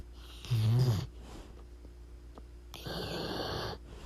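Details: Pit bull snoring loudly while asleep: a deep, rumbling low snore in the first second, then a long airy breath about two seconds later, with steady low hum in the room.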